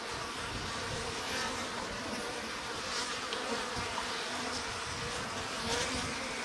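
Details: Spring colony of Japanese honey bees in a stacked-box hive, sliding bottom board pulled open: an even, unbroken droning hum of many wings, low and steady with slight rises in intensity.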